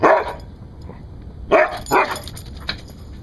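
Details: Guard-dog barking from a rescued Siberian Husky: a strong opening bark, a pause, then two quick barks and a softer final one, over a faint low hum.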